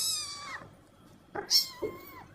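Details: A cat meows indoors, first a descending wail that fades, then a louder, bending meow that dips and rises again, with a short soft note between them.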